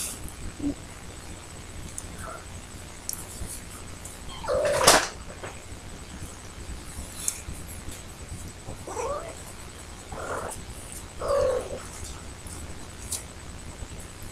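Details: Indoor adult cat waiting at the door to be let out gives four background meows, one stronger near the middle, then three quicker ones close together, over steady household hiss and occasional clatter.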